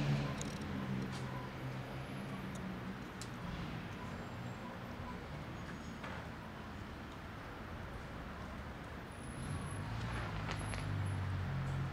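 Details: Steady outdoor urban traffic rumble with passing vehicles and a faint high hiss, and no animal voices standing out.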